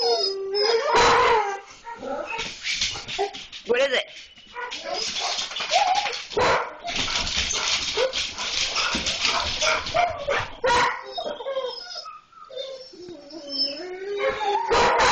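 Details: German Shorthaired Pointers, excited at the sight of a cat, give a mix of whines, yelps and short barks. A person's voice runs underneath, and the calls rise and fall in restless bursts.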